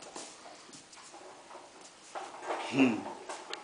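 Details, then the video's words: Maddox, a seven-month-old Hungarian Vizsla, excitedly chases a torch light indoors; a brief, high, strained whine rises near the end over soft shuffling and quiet room noise. "My 7 month hungarian vizsla Maddox is going crazy"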